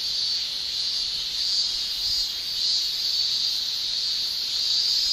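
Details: Male cicadas in a Japanese summer, singing with their tymbals: a steady, shrill, high buzzing drone that holds without a break, with only gentle swells in loudness across the whole stretch.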